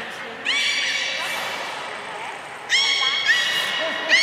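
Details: Belugas at Port of Nagoya Public Aquarium, 3 February 2019, feeding and post-feeding play; two loud bursts of bright harmonic squealing whistles, the second with quick upward sweeps and chirps, a third starting at the end, echoing indoors.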